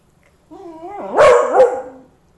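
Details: Champ, a pet Beagle, howls at a cockroach that has stopped moving after being stepped on, trying to wake it: a single wavering, mid-pitched howl that rises and dips, swelling louder in the middle before fading.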